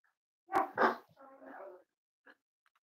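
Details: Indoor litter of Cavalier King Charles Spaniel puppies nearly eight weeks old: two quick loud barks followed by a lower, drawn-out grumbling whine, then a faint short squeak.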